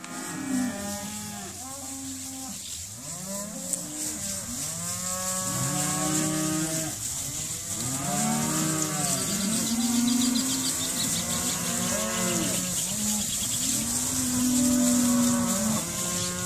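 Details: Calves of about 215 kg at an auction, many mooing at once in overlapping, drawn-out low lowing calls, some rising and falling, with a steady high hiss throughout.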